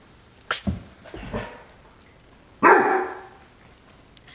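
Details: Great Dane puppy, frightened of a new feather toy, gives a few short, sharp noisy yelps, then after a pause one louder, fuller bark about midway through, in an indoor setting.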